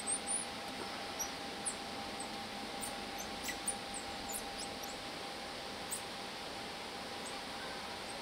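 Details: Emperor tamarins (Saguinus imperator) at Loro Parque, a family with two newly born babies and older siblings, give thin, very high-pitched squeaks and chirps over a steady low hum.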